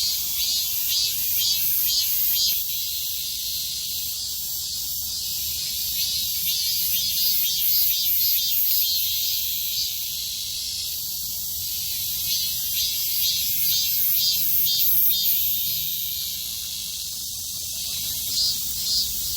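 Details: Summer cicadas in full chorus, a sustained metallic hiss with repeated pulses near two per second, waxing and waning in waves over nearly twenty seconds of unbroken insect noise.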